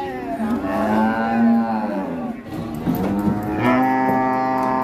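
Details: Sacrificial cow off a truck at Siyono Harjo market, rampaging: a long, even low moo of roughly one and a half seconds, then a shorter second bellow. Voices and background music.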